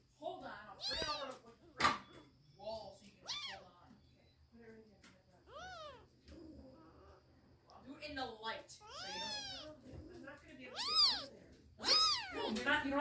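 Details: Kittens fighting, heard as a run of squealing, arched meows and yowls that rise and fall, some short and some drawn out, growing louder and shriller toward the end, with a person's voice speaking between them.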